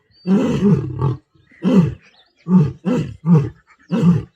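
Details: Asiatic lions during a mating encounter in the wild in Gir forest. Six deep, throaty grunting roars come in close succession, each about half a second long, with short pauses between bursts.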